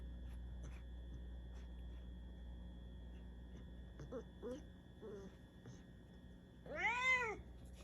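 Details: Pet cat indoors in a small room, running over because it thinks a potassium supplement is a treat; after quiet shuffling and faint noises, one clear rising-then-falling meow near the end.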